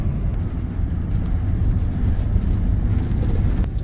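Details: Steady low rumble of a passing vehicle or aircraft, with no animal calls heard.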